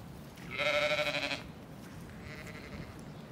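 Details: Zwartbles ewe in County Kilkenny, Ireland, disturbed from her sheltered spot in an orchard and out in mild wind and rain with her lambs by a far hedgerow; one loud wavering bleat under a second long, then a faint distant bleat amid wind.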